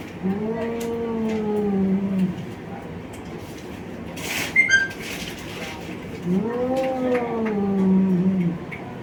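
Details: Two male cats from Bangladesh in a fight. They give two long, low, wavering moans about four seconds apart, with a brief sharp squeal in between and a steady background hiss.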